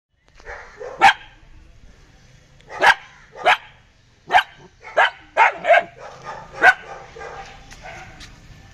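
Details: Belgian Malinois dog barking: about eight sharp, harsh barks in irregular bursts, some single and some in quick runs of two or three, over a low background hum.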